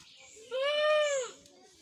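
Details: A single goat scream, described as human-like: one smooth, arched, strongly harmonic cry lasting under a second, rising slightly and then falling away, in quiet surroundings.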